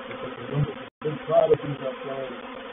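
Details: Honey bees of a reproductive swarm entering a bait hive (swarm trap) at Painted Peacock Manor on 04/07/21; a low, droning hum with steady tones, uneven in loudness, broken by a brief dropout near the one-second mark.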